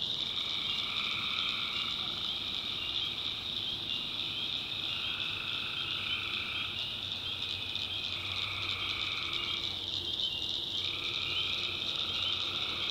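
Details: After dark in the North Carolina backwoods, a wall of high tree frog chorus carries on without pause, punctuated by several repeated trilling bursts of one to two seconds each.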